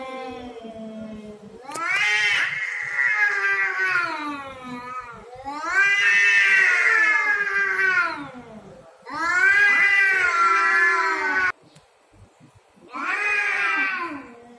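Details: Cats fighting for dominance over territory: a low moan building into loud, drawn-out yowls about three seconds long, four bouts in a row with brief silent breaks between.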